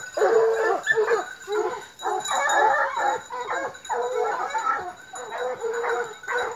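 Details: Young hounds on a park outing, including three Gascon dogs under nine months and a Norwegian Elkhound, bay and bark in dense overlapping bursts, some drawn-out howling notes, a near-constant chorus with a thin high tone in the background.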